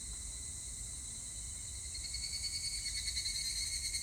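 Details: Higurashi cicada on 25 July 2019: a steady insect drone gives way after two seconds to a rising, rapidly pulsing ringing trill, with a dense high insect hiss behind.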